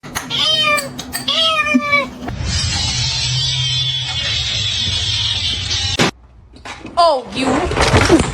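A kitten meows twice in quick succession, each call high and thin with a rise and a drawn-out fall. A steady hiss of background noise follows before a last, downward-sliding meow.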